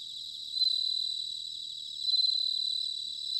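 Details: Bell cricket in autumn, Sanuki, Chiba Prefecture, Japan: two bright, ringing bell-like phrases about a second and a half apart rise over a steady background of high insect trilling.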